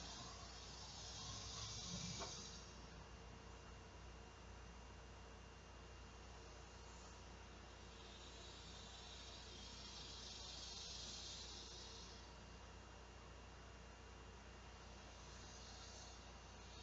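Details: Large male cicadas calling for females to mate on a hot summer day at 12:10 p.m. on 2 August 2016. A high, hissing buzz swells and fades in waves about every eight seconds over a steady background hum.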